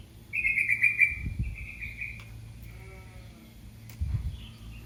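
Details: High, piercing cry from a baby cat calling its mother, one long sustained note that trails off slowly, then a soft faint call near the end over low rumbling noise.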